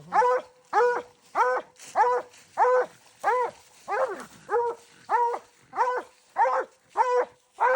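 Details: A dog out coon hunting barks steadily, giving about thirteen clear, evenly spaced yelps, roughly one every 0.6 seconds, with a rich, ringing tone.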